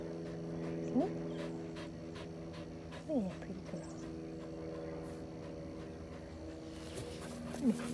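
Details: A Vizsla during a game of fetch gives three short, thin whines, each a quick sliding squeak, spaced about two to three seconds apart over a steady low electrical hum.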